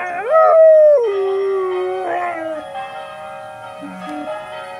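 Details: An 8-month-old Berger Picard puppy howls along with church bells: a high wavering note that rises, falls and settles into a long tone.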